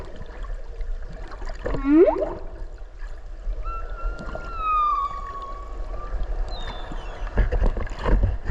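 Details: Underwater whale voice near Okinawa, captured while swimming with the whale: a quick sweeping upward whoop, then a long whistled tone gently falling in pitch for over two seconds, a brief high note near the end, with faint water noise throughout.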